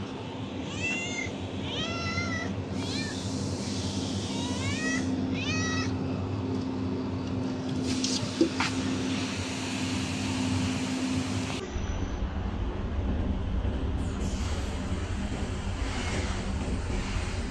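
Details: Hungry stray cat being fed, Kadayanallur, Tenkasi: bursts of rising-falling meows, three or four quick ones in a row, then another run after a pause, over steady low traffic rumble and a constant hum.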